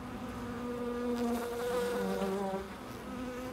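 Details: Close bee flying at a loading dock, a strong rich drone that rises and dips slightly in pitch as it moves, swelling to its loudest mid-way, with quieter steady rumble behind.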